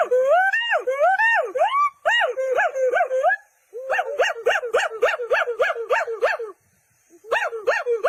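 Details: Monkey giving loud tonal calls, each note swooping up then down with rich harmonics, strung into fast series of about three notes per second, broken by short pauses, with faint higher chatter behind.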